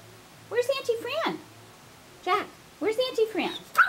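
A dog gives drawn-out, wavering howls with sliding pitch, sounding almost like singing.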